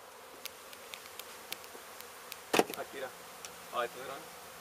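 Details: Honey bees from a hive struck by construction crews at an abandoned home being demolished in Mission, Texas, during a rescue and relocation. A diffuse, steady hum runs throughout, with sharp clicks, one loud knock and brief voices near the end.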